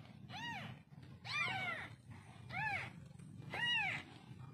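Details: Newborn kittens give thin, arching meows, each rising then falling in pitch. Four cries come about one second apart over a low, steady rumble in the background.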